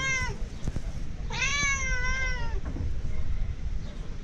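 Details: Mother cat recognising her owner from far away gives a short meow, then a longer, drawn-out wavering meow lasting about a second, over low outdoor rumble and faint background voices.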